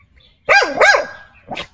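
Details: Xiao Mi, a pet dog described as happy with the day's weather, gives two loud harmonic barks with a rising-falling pitch close together, then a shorter, softer third bark.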